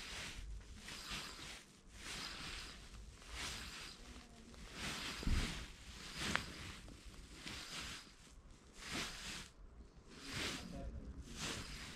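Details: Rhythmic rustling or shuffling bursts repeat about every second and a half over a low background rumble, with no birdsong heard.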